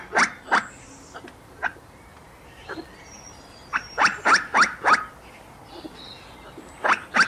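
A squirrel gives sharp, harsh chucks, singly and then in quick bursts of three or four.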